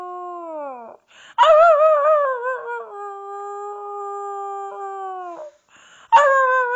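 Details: Boxer named Maggie howling with a person at home; a falling howl, a pause, then a loud quavering howl settling into a long level note, ending as another howl begins.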